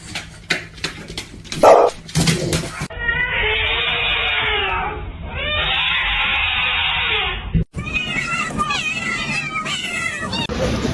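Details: Domestic cat in a cat fight, giving a long wavering yowl with stacked harmonics that lasts about five seconds. Sharp clattering bursts come first and a noisy, rougher stretch follows.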